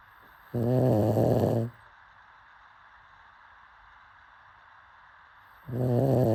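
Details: A dozing pug gives a loud, rasping snore of about a second, then silence for four seconds before the next rumbling snore begins.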